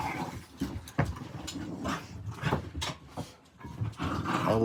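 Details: Dogs playing indoors at 11:40 at night, one a 5-month-old puppy: low rumbling growls broken by sharp snorts and scuffling bursts, recurring throughout, with a faint human voice in the background.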